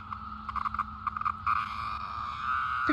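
A periodical cicada gives a harsh, buzzing distress call, stuttering at first and then running into a steady squawk.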